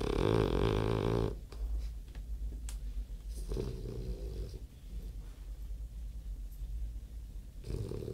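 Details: Snoring French bulldog, a rattling, nasal snore at the start, a shorter one near four seconds and another at the close, with a quiet low wheezing rumble between breaths in a still room.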